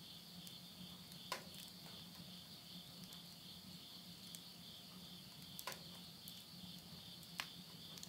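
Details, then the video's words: End-of-summer insects at midnight, Yurihama, Tottori, Japan, September 2020: an even, high-pitched ringing trill holds steady while burning wood snaps loudly a few times and a soft low hum continues underneath. "mid night the voice of insects"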